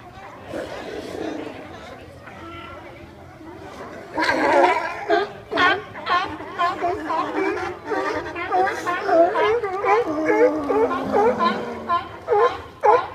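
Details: Sea lions in San Francisco: after a few quiet seconds, a dense chorus of overlapping harmonic barks breaks out from several animals, each bark a short rise-and-fall honk, coming in quick irregular bursts.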